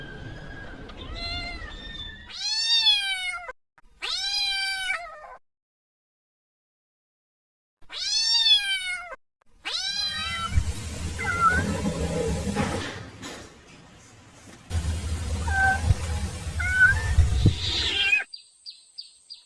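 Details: Kitten crying for its mother: clear arched meows in short bursts with pauses, later giving way to broadband noise, faint calls and a man speaking Vietnamese.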